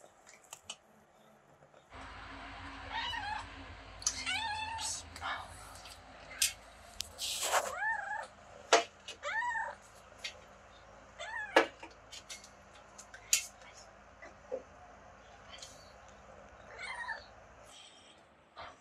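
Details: Kitten encountered on holiday in Greece that beeped constantly: a busy series of arched, squeaky meow-like beeps, about a dozen in quick succession, mixed with clicks and rustling over a low background hum.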